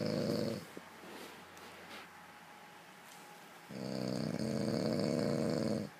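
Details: A dog snoring: a short rasping broadband snore at the start, then after a quiet pause a longer, louder snore lasting about two seconds, with a steady low hum between breaths.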